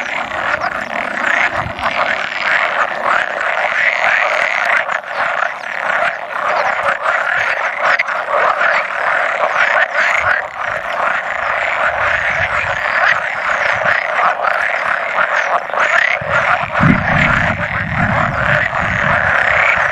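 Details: About a hundred male pool frogs croak together at spawning on 16 May 2017, with an occasional edible frog among them. The chorus is dense, continuous and rattling, with overlapping croaks throughout.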